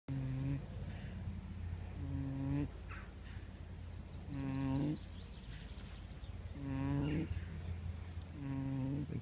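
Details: Pig snoring: five low, droning, harmonic snores of under a second each, repeating about every two seconds over a steady low hum.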